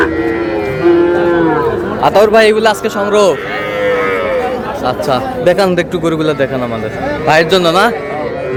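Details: Busy livestock market with Sahiwal bull calves for sale, a Noakhali farmer buying, 24 February; repeated harmonic moos from several directions mix with loud human voices and faint music.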